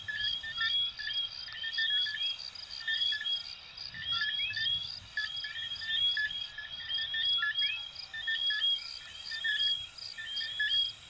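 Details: Small coquí frogs of Venezuela and Puerto Rico fill the air with overlapping rising whistled notes, some in quick pairs, above an unbroken high insect-like trill and occasional soft low murmurs.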